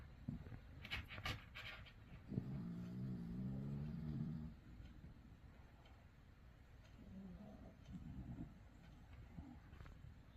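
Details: Puppy sleep-talking and snoring: low, drawn-out moaning hum lasting about two seconds, then softer, shorter grumbles later, over quiet indoor background with a few faint clicks.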